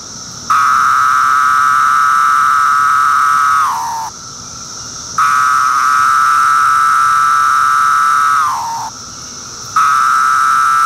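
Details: A Brood II periodical cicada (Magicicada septendecim), recorded in 2013, calls from tree bark with long, steady buzzing drones that each end in a drooping, falling slur.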